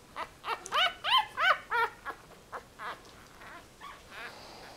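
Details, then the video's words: One-week-old Yorkie Russell puppies squealing: about ten high, harmonic whimpers that rise and fall in a quick run over roughly three seconds, then fade into softer, fainter cries near the end. "One week old yorkie russell puppies"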